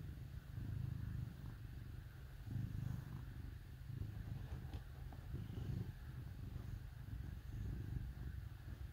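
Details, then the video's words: Low purr of cats snuggling with dogs during a cold winter day, a rough rhythmic rumble in phrases, pausing briefly near two and a half seconds, with a soft click midway. "Cats Snuggle With Dogs on Cold Winter Day"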